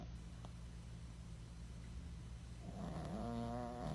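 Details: Goosie, a tiny senior female rescue dog once abandoned in a cardboard box, sleeps in a foster home; after a low steady hum, a nasal, whistly snore with a wavering tone rises in the last second.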